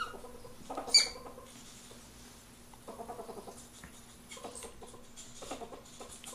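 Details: Mating ferrets give short bursts of rapid, clucking pulses in several clustered runs, plus one sharp high squeak near the start, over a faint steady electrical hum indoors.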